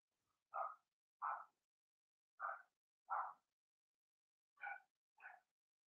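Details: Blenheim Cavalier King Charles Spaniel puppies in a home puppy pen, barking in pairs of short high yaps separated by pauses of about a second.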